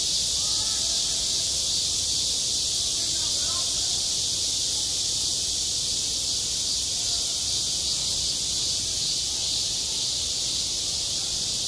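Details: Midsummer cicadas calling at a school sports ground, a dense high-pitched buzzing wall of sound, steady throughout, with faint distant voice-like sounds underneath.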